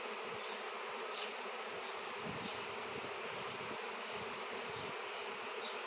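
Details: Steady, thick buzzing of a honey bee swarm around a seven-pound raw shungite piece, the hum unbroken, with low rumbles appearing intermittently underneath.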